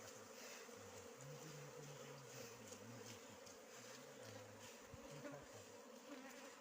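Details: Wild bees buzzing as their honey is harvested: a steady, droning hum that runs unbroken through the whole stretch, with men's low voices talking over it.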